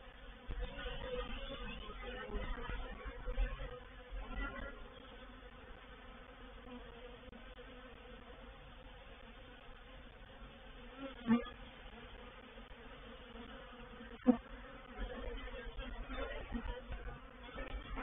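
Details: Reproductive swarm of honey bees moving into a bait hive (swarm trap) at Painted Peacock Manor on 04/07/21: dense steady droning hum with low tonal bands, two sharp clicks or knocks around the middle.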